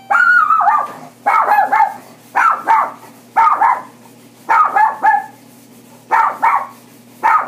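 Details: Toy Poodle barking in quick doubled and tripled yaps, bursts repeated roughly every second with short pauses, high-pitched and sharp against a quiet indoor background.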